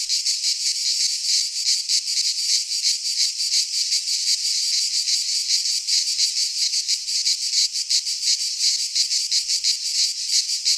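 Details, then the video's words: Greek pine forest cicadas in midsummer, many insects together producing an unbroken shrill, rasping drone, finely pulsed and steady throughout, with nothing else audible. "Cicadas singing in midsummer - Nature sounds from the Greek fauna - Sounds of cicadas"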